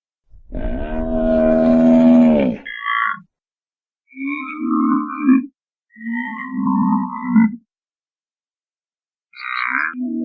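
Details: Buffalo calling: a loud, drawn-out, rich harmonic bellow of about two seconds, then three shorter, lower moaning grunts separated by brief silences, with no other sounds.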